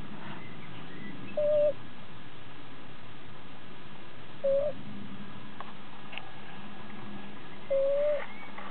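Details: Shiba Inu puppy Sakura, eight weeks old, asleep in May 2009: a thin, steady whistling snore at even pitch with each breath, about every three seconds, over quiet room hiss.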